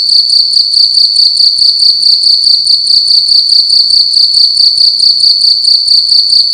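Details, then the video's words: Cricket making loud noise at night in an indoor room: an unbroken shrill pulsing trill, high and tonal, repeated evenly and rapidly, with quiet low-frequency background sound. "Cricket making loud sounds at night in a room"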